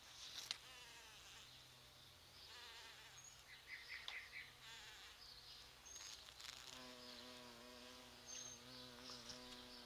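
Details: Bumblebees pollinate sete capotes flowers in their yearly November bloom, lured by a rose-like scent. Scattered faint buzzing comes first, then a strong steady hum approaches and holds over the last three seconds.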